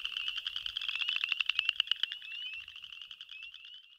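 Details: Boreal chorus frog (Pseudacris maculata) male mating advertisement call, a fast pulsed trill that rises in pitch, with overlapping frog calls and spring peepers heard in the chorus.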